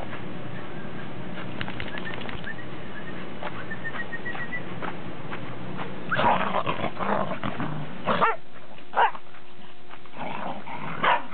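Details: Domestic dogs, Pembroke and Cardigan Welsh Corgis with a Cairn Terrier, recorded 30 December 2006; quiet shuffling at first, then a cluster of sharp barks and growly bursts near the end over low hum.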